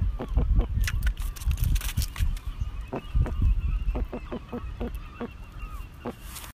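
A sea robin makes deep, honking barks built from rapid low pulses, coming in bursts several times a second and fading over about six seconds.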